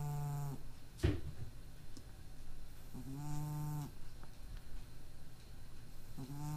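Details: Sleeping cat with a slight nose impairment, snoring as it rests normally; three tonal, nasal snore bursts with clear harmonic stacks, each lasting about a second, with a sharp click or bump near the start.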